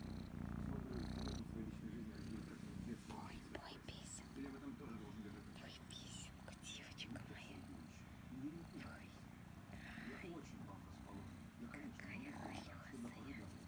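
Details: Female kitten Kryska purring loudly while enjoying affection and scratching behind the ear; steady low rumbling purr runs throughout, overlaid by soft whispered human speech.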